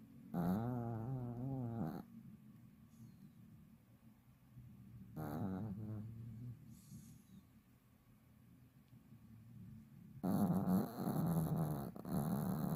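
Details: Elderly Pomeranian, fifteen years old, fast asleep and snoring: three rough, fluttering, low snores, roughly five seconds apart, the last longest and loudest, with quiet breathing between.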